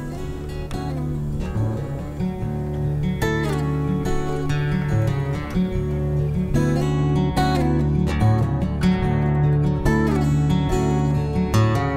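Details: Strummed acoustic guitar music plays steadily throughout, with plucked notes and chords and no animal voices.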